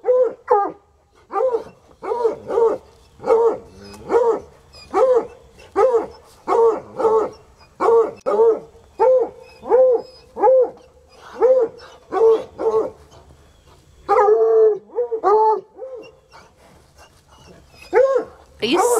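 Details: Untrained coonhounds Sunny and Hazard, still going after about three hours, keep up fast, rhythmic baying, roughly one short ringing yelp-howl per second for almost twenty seconds, steady in pitch, with a rougher outburst near the end.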